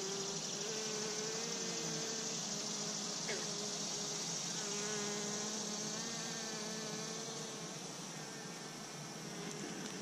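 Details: Steady buzzing of honey bees around a row of three Apimaye hives, a thick continuous whir with wavering tonal lines drifting through it. The swarm sound stays even throughout and eases slightly toward the end.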